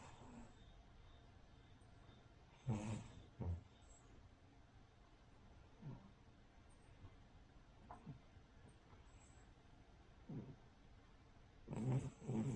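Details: A sleeping Cavalier King Charles Spaniel named Rin, a flat-nosed breed, snores like a pug or bulldog. Brief, breathy, broadband snorts come at irregular intervals, with two louder bursts near the start and end, over a quiet room hum.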